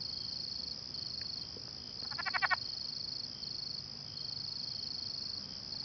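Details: Southern leopard frog calling in South Louisiana on April 1, 2017, late in its calling season, cheek pouches inflating: a brief burst of rapid, chuckling clicks lasting about half a second, over a steady high insect drone.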